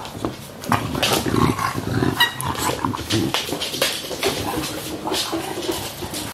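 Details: Two young English Bulldogs, roughly one year old, recorded on 3 December 2015; rough, low snorting grunts and snuffles repeat throughout, with brief sharper clicks and huffs in between.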